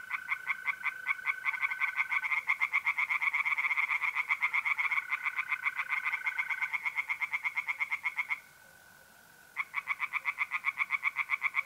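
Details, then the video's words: Tree frogs singing in a pond on an April night in north-east Italy: rapid, regular pulsed croaks, about four per second, that break off briefly near the end while a steady, unbroken mole cricket trill carries on beneath. "relaxing singing tree frogs in pond"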